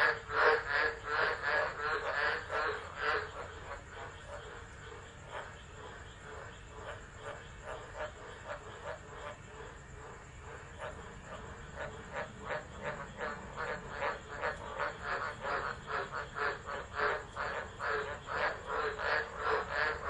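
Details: Frogs in Driver, Northern Territory, Australia, calling during a tropical storm, 13 December 2013, captured by a phone set down outdoors; rapid pulsed croaking chorus, loud at first, fading midway, then building again.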